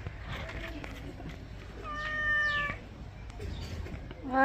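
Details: Domestic cat during bathing, a single steady meow of under a second in the middle, with Bengali speech from a woman before and after and a sharp rising sound at the very end.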